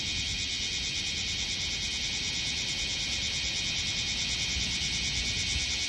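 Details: Several bear cicadas gathered on a potted tree standing on artificial turf in Minokamo, Gifu, Japan, July 2024; a dense, steady high buzzing drone fills the recording without pause.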